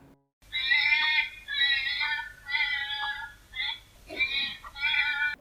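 A hedgehog screams in loud, piercing, wailing bursts, each under a second long and repeated about five times. This scream signals great stress, from pain or from frustration.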